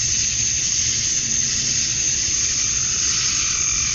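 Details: Summer-dusk cicada chorus in Georgia, USA, the males calling to draw in females; a continuous shrill buzzing wall of sound, even in loudness, with soft low background hum.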